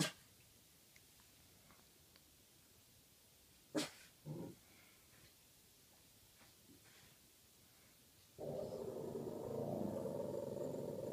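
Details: A Boston Terrier breaks a quiet night with a low, rough, sustained growl in the middle of the night.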